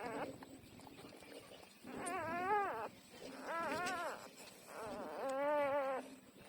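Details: Newborn puppies, 12 days old, nursing. Three drawn-out whining cries, each under a second, with an arched, wavering pitch. They come roughly one every second and a half over soft background rustling.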